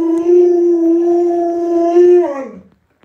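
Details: Sustained, even-pitched howl from Luoluo, an Alaskan Malamute dog, during a hide-and-seek game with its owner indoors; the tone holds level for over two seconds, then slides downward and fades.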